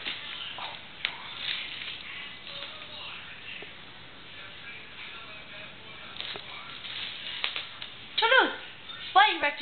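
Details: Toulouse, a pet cat, trying to shred a new roll of toilet paper indoors; two short, falling, harmonic meows come near the end after a stretch of soft rustling, with faint speech in the background.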